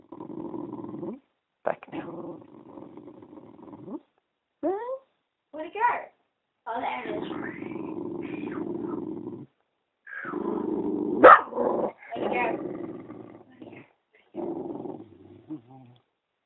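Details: Pet dog growling at a talking Eeyore puppet: long low rumbling growls lasting several seconds, broken by short gaps, with a person speaking soothingly and the puppet's voice mixed in.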